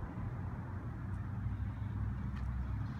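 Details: A steady low rumble of passing vehicles fills the outdoor scene, with no animal voice.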